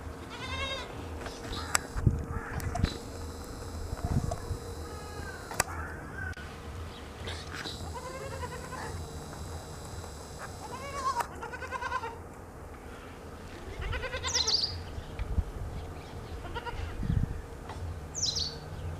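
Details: A goat bleats repeatedly in wavering, nasal cries over a steady low farmyard hum in the morning, with young goats drinking their mother's milk.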